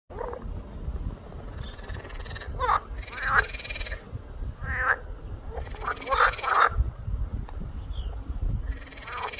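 Frogs give rough, pulsed croaks in short bursts over a steady chorus-like background hum.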